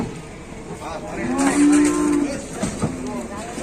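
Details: Very large cattle in Indonesia: a single low, drawn-out moo about a second long, with people talking and background noise.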